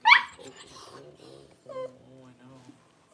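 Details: Newborn Cavalier King Charles Spaniel puppy as mother dog Paris whelps her first puppies indoors; a sharp squeal opens, then thin, wavering harmonic whimpers rise and fade over two seconds, with human voices nearby.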